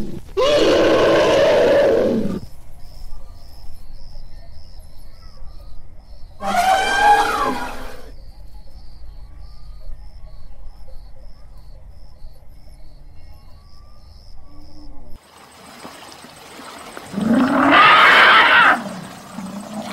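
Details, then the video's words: Elephant giving a few loud, rough, roaring trumpet blasts, one at the start, one near the middle and one near the end, with long stretches of low hum in between. "TIẾNG VOI RỐNG ĐÁNG YÊU 2024"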